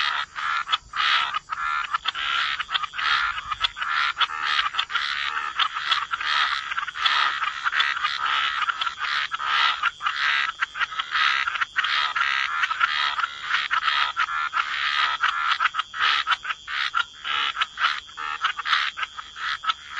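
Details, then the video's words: Croaking frogs fill the wetland with a steady, dense chorus of rapid raspy pulses, many callers overlapping without pause across the whole stretch. "Frog Lullaby: Relax to the Sound of Croaking Frogs"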